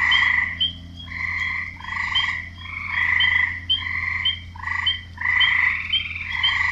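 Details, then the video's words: Male frogs calling to attract mates. Short rasping croaks tumble out in quick succession, about eight bursts in under seven seconds, each with a bright clicking overtone. A constant low hum fills the background. "Frogs croaking"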